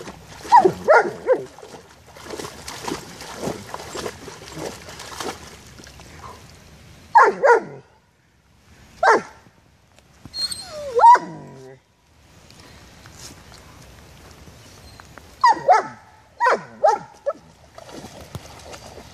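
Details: Female German Shepherd playing excitedly in a puddle of water; bursts of sharp barks come in clusters, separated by pauses, with a rising whine near the middle and a woman's voice speaking to the dog.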